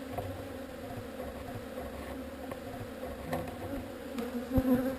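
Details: Honey bees from a swarm moved away from an unwanted spot: an even, continuous hum with a brief louder, higher buzz from a close bee near the end.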